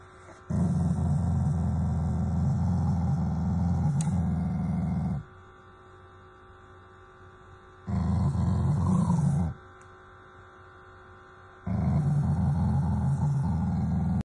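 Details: Shiba Inu, a loving family dog, growling in affection rather than anger toward its owners: three long low rumbling growls of about two to five seconds each, separated by quieter pauses.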